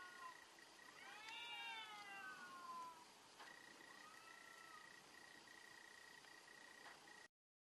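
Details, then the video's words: A fierce cat fight: a loud, descending, harmonic yowl lasts about two seconds, followed by a softer rising-and-falling wail, with a constant high tone and hiss in the background. "fierce fight of cats"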